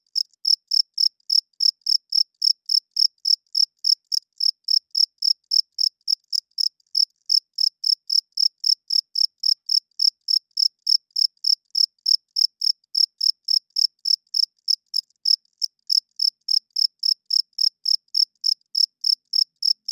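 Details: Loud nighttime cricket chirping from a male's rubbed wings: an unbroken series of high, piercing pulses at a little over three per second, very even throughout, with only a couple of faint stumbles and nothing else audible.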